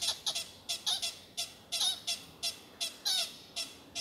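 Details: American pika at sunset by the Carpenter Mountain fire lookout in Oregon's H.J. Andrews Forest, USA, giving a quick run of about a dozen shrill, high, nasal eeps in close succession, with a faint hiss between them.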